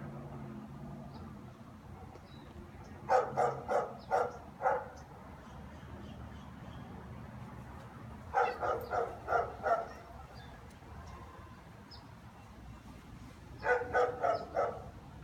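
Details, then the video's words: German Shepherds barking at home as their owner returns from work: three bursts of four to six loud, harsh barks, spaced about five seconds apart, over a steady low background hum. "German shepherds barking"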